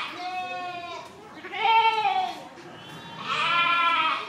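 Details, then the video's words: Sheep giving three strained, vibrato-laden bleats in quick succession, the middle one loudest and the last rising and sustained. "Sheep Baing 1 Hour Sound Effect, Bleating, Yelling"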